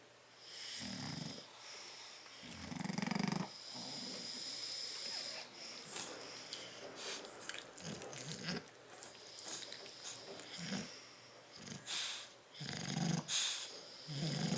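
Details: Bulldogs Tyson and Tyra asleep in a crate, 30 October 2012: rough, wheezy snores in uneven bursts, some long and drawn out, others short snorts, with quiet breathy gaps between them.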